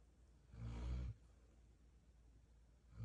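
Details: Golden retriever, a female, asleep and snoring like a tractor; one deep, rasping low rumble of about half a second, then quiet breathing, and the next snore just starting at the end.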